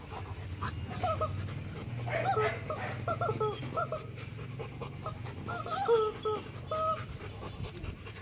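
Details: Loki, a male Rottweiler about two and a half years old, born 15 December 2016, at Gervi Kennel, known as a chicken lover, while people hold out chicken: short high whimpers and whines in bursts over panting, with people talking nearby.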